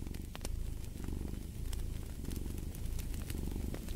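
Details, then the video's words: A cat purrs with a deep, vibrating, continuous rumble that pulses slightly with breathing, while a fireplace snaps and crackles intermittently. "Fall asleep to the Purring of a Cat"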